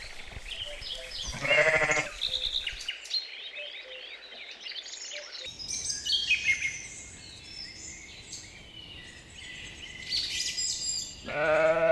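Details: Grazing sheep on a spring meadow: a short bleat comes early and another starts at the very end, while birds sing and chirp busily in between.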